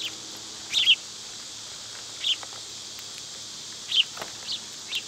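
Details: Cicadas in summer keep up a continuous high-pitched hiss-like drone, while a few brief bird chirps break through at intervals.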